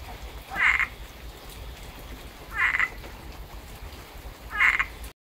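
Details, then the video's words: Frogs calling after heavy rain in Tampa, Florida: three short, buzzy croaking bursts about two seconds apart, stacked in the upper-middle range, over a low steady hum of background noise. "Tampa Frogs Love the Rain"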